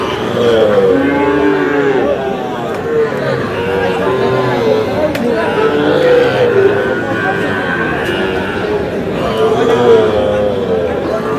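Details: Sahiwal cattle, including bull calves, at a farmers' cattle trade in Chuadanga on 4 July: several overlapping low, drawn-out moos with rising and falling harmonics, set against a steady murmur of crowd chatter and talking.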